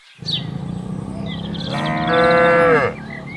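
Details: Tame herd cattle roam and graze in a broad plantation; a low hum builds into a single loud, rich moo that rises in strength and then drops off sharply, with light chirping behind.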